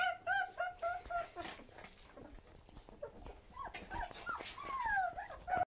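Labrador Retriever puppies whimper and whine in high, wavering, repeated cries.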